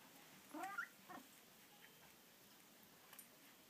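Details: Pet cat indoors, described as soft-spoken, gives a single quiet, short meow that rises in pitch and lasts under half a second, followed by a faint second note and then near silence.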